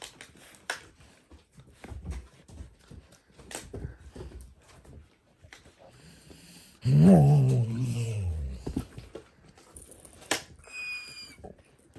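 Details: Playful puppies indoors, one of several kept together, giving a brief loud harmonic growling vocal that rises then falls for about a second midway, amid clicking and crinkling of a chewed plastic bottle and soft scuffling.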